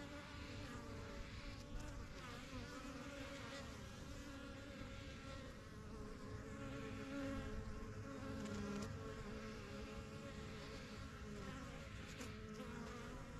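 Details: Backyard honey bee hive, the yellow box and strongest of first hives started spring 2023, bees entering and leaving; a steady chorus of wingbeat buzzing, with a few louder bees passing close around the middle.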